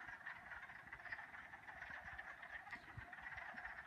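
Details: Wood frogs chorus by day at a pond in a sunny spring forest: many overlapping, clucking, barking croaks blend into a steady, rattling din, with some trilling chorus frogs possibly among them.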